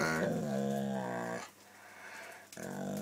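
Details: Pet dog snarling indoors when a man points at her: a low, harmonic growl held for about a second and a half, then a pause and the growl starting again.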